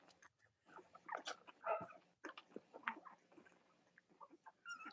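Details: Cavalier King Charles Spaniel puppies from Robin and Myra's litters, indoors on a chilly late-October Monday morning in the US, give a busy jumble of high squeaks and short whimpers, overlapping and irregular, with soft rustling beneath.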